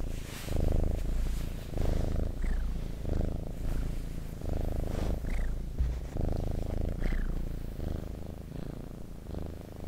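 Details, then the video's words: Purring cat recorded for ASMR, a continuous low rumble pulsing with each breath, joined now and then by faint short rising squeaks. "Purring Cat ASMR"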